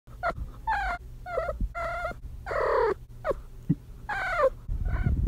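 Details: Female kitten in heat giving a series of short chirping trills with harmonic, slightly rising-falling tones, about ten calls over five seconds with brief gaps, some low rumbling between them indoors.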